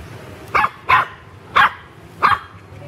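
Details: Four quick, high yappy barks from pet puppies at play in a garden, spaced roughly half a second apart, with a faint low rumble beneath.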